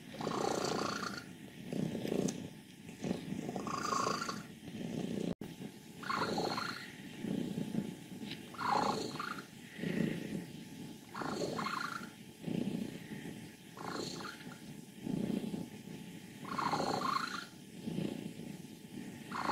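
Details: Fourteen-year-old female cat Wassilissa, happy and healthy at home in Leutkirch im Allgäu, purrs with a rattling rumble that swells and fades with each breath, roughly every two seconds, with a few brief squeaky notes on top.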